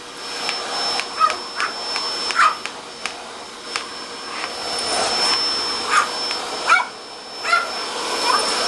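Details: Papillon named Angelina, a pet dog reacting to a running vacuum cleaner at home, gives short sharp yelping whines at irregular intervals, several per second at times, over the steady broadband roar of the vacuum.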